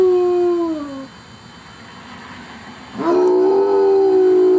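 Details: Kaiser the pet dog howling unprompted: a sustained tone sliding downward and fading out, a quiet gap, then a fresh howl rising in and holding a steady pitch to the end.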